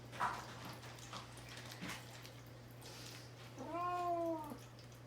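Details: Fasting before neutering and isolated in a cage, the cat Mamedaifuku lets out a single clear, slightly falling meow, preceded by soft rustles and a low hum in a small room.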